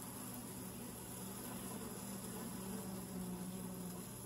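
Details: Honey bees at a hive entrance tube, recorded close up: a steady, dense, low droning hum with a faint tonal band, unbroken throughout, over a broad hiss.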